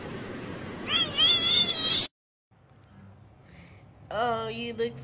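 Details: Domestic cat in a compilation of funny cat moments, giving two meows: a wavering, drawn-out cry lasting about a second, then after a brief silent cut a second meow that falls in pitch, over a steady background hiss.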